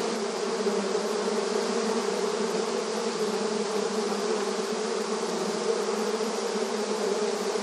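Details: Honey bees busy in front of their beehive entrance in a rural setting, a dense continuous droning hum from many wings, steady and unbroken, with strong low banded tones and a broad hiss reaching high up.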